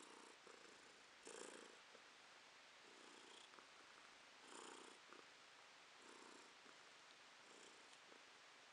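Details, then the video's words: Domestic cat purring while seeing its owner off in 2023: soft rasping purr in rhythmic bursts roughly every one to one and a half seconds, with some louder pulses, in a quiet indoor setting. "Кошка Ромашка урчит"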